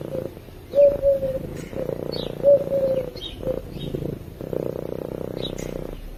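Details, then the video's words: A sleeping cat's purr picked up by a microphone: soft rumbling bursts alternating with short pauses, while a couple of clear whistled notes and faint high chirps sound in the background. "Cat Purring While Sleeping"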